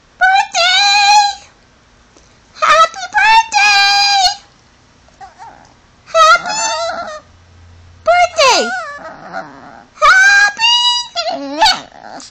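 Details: A pet Chihuahua trained to mimic 'happy birthday' and 'I love you', giving five wavering, whiny howl-like phrases with rising and sliding pitch, separated by short pauses, in a quiet room.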